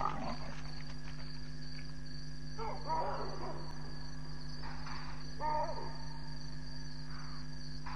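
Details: Rasping leopard strokes at night, about 12:30 a.m. on 7 May 2017, Djuma Game Reserve, with two leopards present. Several harsh sawing bursts come a second or two apart over continuous insect buzzing and a steady low hum.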